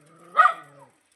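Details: Labrador Retriever during a morning walk giving a single short, loud, harmonic bark that rises quickly and fades within about half a second, with a quiet background.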